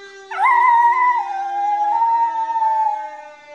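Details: Maizie, a Miniature Schnauzer, lets out a loud howl with a siren: a quick upward swoop, then a long sustained note that slowly sinks over about three seconds, with steady siren tones underneath.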